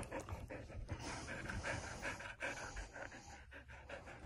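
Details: Border Collie panting in the morning, fast and even at roughly 158 breaths a minute, each a short breathy huff, with faint human speech underneath.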